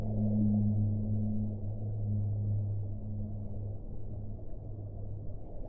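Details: Whale song: a long, low, steady moan with a faint upper harmonic, holding for about four seconds before fading, over a constant dull underwater rumble.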